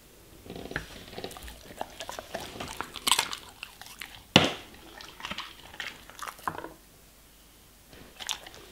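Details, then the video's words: German Shepherd eating vegetables and fruits indoors: bursts of crisp crunching and wet chewing in uneven runs, with sharp loud bites near three and four seconds, then a quiet pause before a last few chews. "German Shepherd Eating Food ASMR - Vegetables & Fruits"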